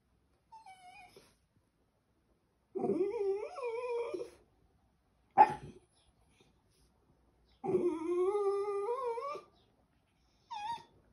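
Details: Westie named Charlie vocalizing like a baby indoors: drawn-out wavering whines and yowls with rising and falling pitch, several long phrases separated by pauses, plus a short sharp yip near the middle.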